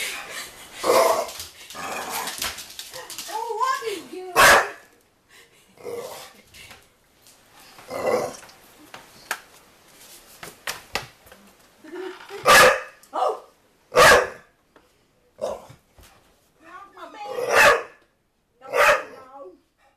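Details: Dog NuNu chasing a soccer ball and barking at it, bursts of sharp barks mixed with whiny vocal sounds, and a person talking to the dog in between.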